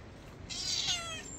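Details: A village mother cat, excited about upcoming food, gives a single drawn-out meow that starts bright and high and then falls smoothly in pitch, against faint background hiss.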